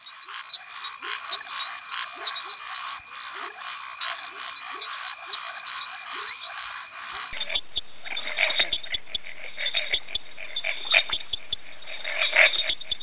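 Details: A dense chorus of Brazilian frogs gives short croaks and rapid clicking notes, with many callers overlapping.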